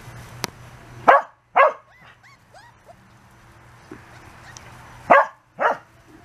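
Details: Corgi puppies, 34 days old, playing outside for the first time; four short sharp yips come in two pairs, with faint thin whimpers in between and a single click early on.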